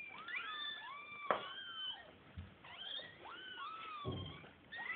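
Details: Several domestic kittens about to be fed, indoors, calling in overlapping high, drawn-out meows that rise and fall in curved sweeps, many voices at once with little pause, plus a few brief knocks and thumps.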